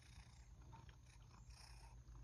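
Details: Rescued male house cat, just back from outdoors and being brushed indoors while wanting a treat, purrs in a low, steady rumbling pulse; faint household sounds above.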